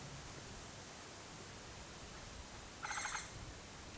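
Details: Musasabi, the Japanese giant flying squirrel, on Mount Takao, Japan, 19 August 2014: one brief, rasping, buzzy call with layered harmonics about halfway through, otherwise quiet hiss.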